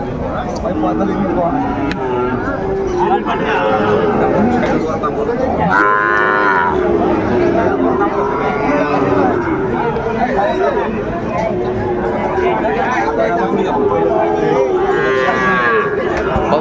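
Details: Sahiwal bull calves for sale at Ambari cattle market in Bangladesh, busy market din with steady crowd noise and voices, several harmonic moos rising and falling, the clearest around the middle and near the end.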